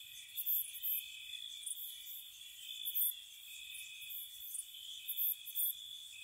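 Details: Night-time crickets in spring outside a cottage: unbroken thin trilling beneath clusters of quick, piercing chirps every second or so.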